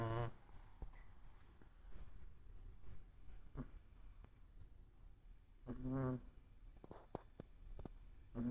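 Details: Shih Tzu puppy snoring in its sleep: soft, low, breathy snores with a longer wheezy, buzzing snore near the start and another around six seconds, over faint steady background hiss and a few small clicks.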